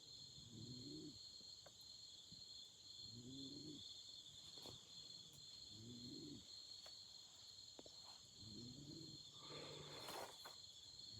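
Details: Autumn insects trill steadily in a high, constant chorus at a night campfire; four low hooting bursts repeat about every two and a half seconds, with scattered sharp crackles and a brief hissing burst near the end.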